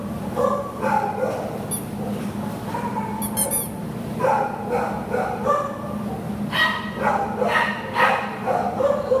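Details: Buddy, a Labrador Retriever available for adoption, lets out bursts of sharp barks in uneven groups, with brief metallic clinks and a constant low background hum.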